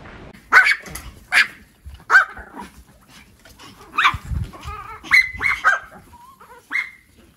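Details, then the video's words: Dogs barking and howling: loud sharp barks in quick uneven bursts, some ending in brief whining, high-pitched yips near the end, with a low growl-like rumble around the middle. "Dogs Barking and Howling - 4K - Dogs Barking Loud"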